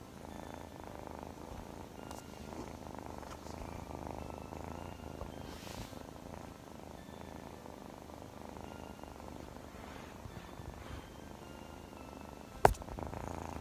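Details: Continuous soft purring from Chloe, a young Scottish Fold kitten known as naughty and cuddly: a quiet, even, low vibrating drone held for over thirteen seconds, with a sudden sharp tap near the end.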